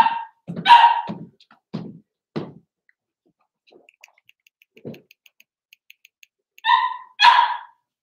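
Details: Four-week-old Cavalier King Charles Spaniel puppies in a pen, from Daisy's litter, give short yipping barks in bursts, with quiet faint squeaks between and a pause in the middle.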